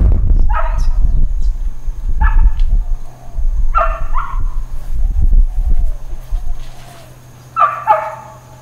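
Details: Dog barking in Hawaiian Paradise Park, Hawaii, on Labor Day, September 2, 2024, part of long intermittent uncontrolled barking; short harsh barks in bursts of two, with pauses of a second or more and a low rumble beneath.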